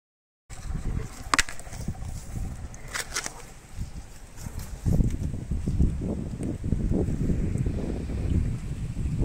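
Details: Meri the elephant eating sugarcane: deep, crunching chews and grinding thuds, with a few sharp cracks of cane snapping early on and a steady low rustle throughout.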